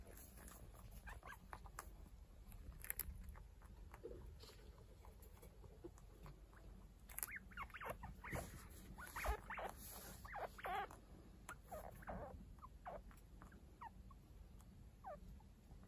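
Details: Chinchilla family indoors: the adult Kaito still caring for two week-old kits that are not his own. Sparse high squeaks and chirps mix with rustling and handling noises, busiest in the second half.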